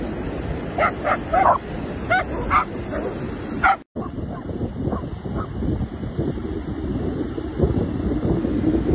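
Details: German Shepherd dog at play, giving a quick run of sharp, mid-pitched barks, about seven in the first four seconds. A brief dropout follows, then softer yips and whimpers over steady wind rumble.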